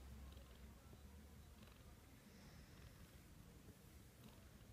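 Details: Domestic cat named Ten purring while being stroked in the morning, sitting on a person's chest just after they woke, indoors; a quiet, steady low rumble runs throughout, with faint soft rustling above.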